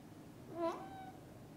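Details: One kitten, newly woken, mewing to its mother cat to play outside: a single short, clear mew that rises and then falls, in a quiet room.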